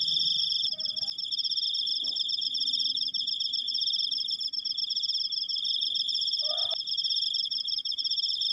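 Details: Cricket recorded up close, giving a long unbroken high trill of rapid pulses that never pauses. A few brief, lower squeaks break in near the start and again toward the end.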